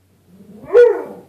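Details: Bruce the dog, barking at his reflection in a glass closet door as though at another dog: a single rising whine that breaks into a sharp bark, with softer grumbling before it.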